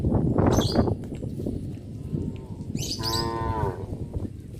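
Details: A cow on a village road going to the pen in the afternoon gives one clear, drawn-out moo after a noisy, rumbling opening.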